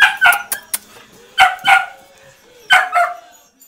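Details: Dog at an animal rescue in Coin, Malaga, southern Spain, giving sharp yelping barks in three bursts of two or three, spaced about a second apart, with a faint background hum between.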